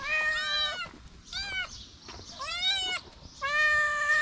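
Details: Small feral kitten, homeless street cat, standing on two legs while licking fingers; four clear harmonic meows, each under a second, slightly rising then falling, separated by short pauses.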